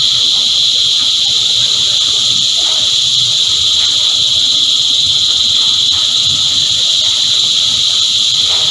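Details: Cicadas drone in unison, a steady, strident high buzz that never wavers, layered over a faint low background rumble.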